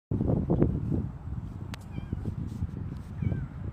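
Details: Two house cats, a silver tabby and a ginger tabby, greeting their owner at home on 17 January 2025 while rubbing against them; soft short meows and rustling, with faint higher mews later.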